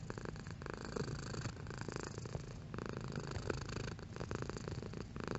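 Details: A house cat's purr, low and buzzing, rising and falling in short breath-linked pulses about every second, fairly strong and even throughout, heard close up in a quiet room.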